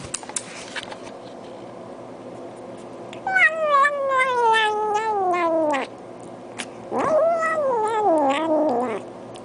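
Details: Domestic cat meowing while its owner talks to it about its food: two long, wavering, drawn-out meows, the first falling steadily over about two and a half seconds, the second rising then sliding down, with soft background noise between.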